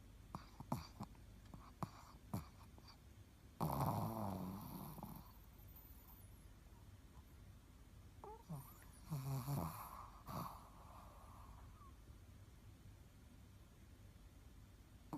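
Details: Ruby, a Shih Tzu kept as a shop dog, snoring while asleep indoors: rough, breathy snores in loud bursts around four and nine seconds, with fainter irregular breathing noises between them in a quiet room.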